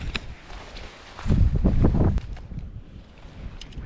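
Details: Blustery mountain wind and rustling footsteps on a hunting trek in the remote South Island wilderness of New Zealand, with a louder burst of movement midway; no animal voices.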